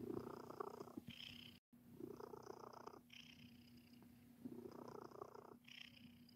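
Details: Kneading contentedly, the domestic cat Sir Titan gives a continuous purr whose louder grainy bursts return about every two to three seconds, broken by one brief silent gap, over a low steady indoor hum.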